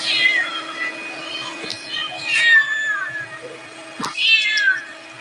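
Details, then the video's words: Cute cat giving three short, high-pitched meows, each falling in pitch, the middle one loudest, with a constant low background hum and a sharp tap near the end. "cute cat sound | cat mewoing"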